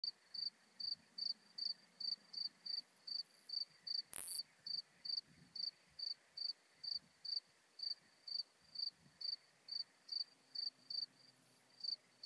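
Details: Modest Plump Bush-cricket (Isophya modesta) recorded at Marz, Austria, on 13 June 2020 with an ultrasound detector: short high-pitched scratchy syllables repeated steadily about two to three times per second, with a brief loud click near the middle.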